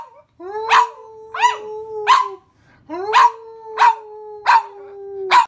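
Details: Domestic dog joining its owner in song, giving long level drawn-out tones broken by sharp bark-like bursts roughly every half to one second, in two phrases separated by a brief pause.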